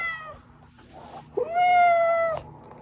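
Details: The tail of one meow fades out. A brief pause follows, then a longer, level, drawn-out meow from pet cat Oz, whose voice lures the hiding cats out.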